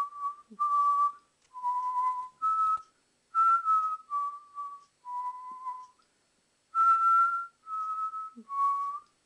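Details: Two-month-old Alaskan Malamute puppy howling while playing: a run of about ten drawn-out, clear, whistle-like tonal notes, each roughly half a second long, shifting slightly up and down in pitch, with short gaps and faint rustling between.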